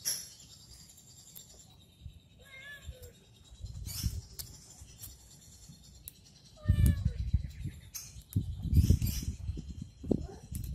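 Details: A domestic cat playing with a stick gives two short, wavering meows a few seconds apart, over low thumping and rustling from the play and faint clicks and chirps in the background.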